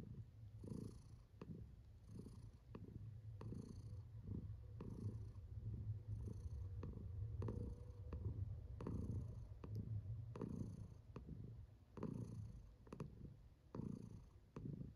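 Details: Female house cat purring contentedly, a deep continuous rumble with rhythmic breathing pulses roughly once a second, steady and unbroken throughout.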